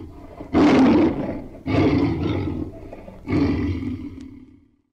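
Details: A tiger gives three deep, rasping roars in quick succession, each about a second long and trailing off into a rough growl.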